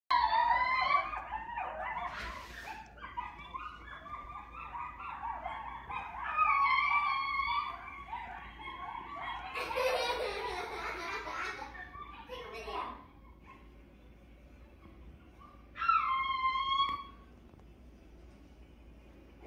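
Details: Coyotes howl together in wavering, high-pitched wails broken by quick yips and barks.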